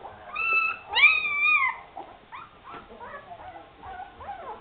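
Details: Afghan Hound puppies at the Szitár al Fidda kennel giving high whining whimpers, two long drawn-out tonal whines followed by shorter rising and falling squeaks.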